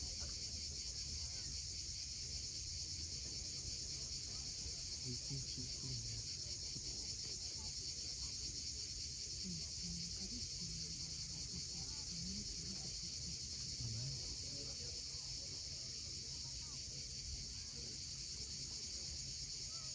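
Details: On the steep coast of Cape Fiolent in Crimea at sunset, cicadas sustain a dense, hissing high buzz, while waves rumble low and brief faint chirps surface now and then.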